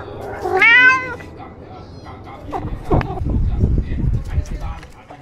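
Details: A single short, rising-falling meow from a pet kitten near the start, followed by several seconds of rustling and low handling noise.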